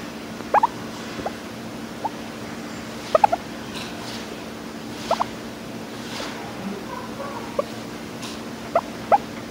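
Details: A contented guinea pig makes happy "purring" noises: brief, soft squeaky notes now and then.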